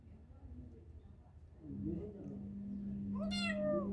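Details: Kitten indoors: a single rising-then-falling harmonic meow near the end, following a steady low hum and faint background rustle.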